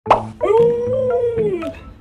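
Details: Alaskan Malamute mother reacting as her owner carries away her puppy: one drawn-out howl of about a second and a half, holding steady then sliding down at the end, after a short thud at the start.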